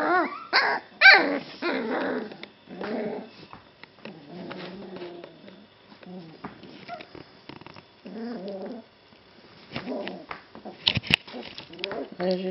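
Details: Golden Retriever puppies, three brothers, just waking up indoors; irregular high whimpers and squeaky whines mixed with small puppy growls and grumbles, rising and falling, with quiet pauses between bursts.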